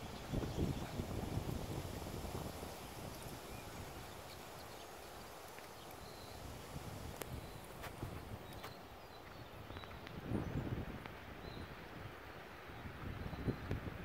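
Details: Hoofbeats of BR Bigshot (Echo), a six-year-old registered Appaloosa gelding, jogging, extending, turning around and switching leads in an evening session; soft irregular thuds under steady low background noise with a few faint high chirps.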